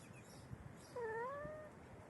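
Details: Domestic cat four hours before giving birth: a single drawn-out meow lasting under a second, starting low, rising slightly and then sliding down, over a quiet room hum.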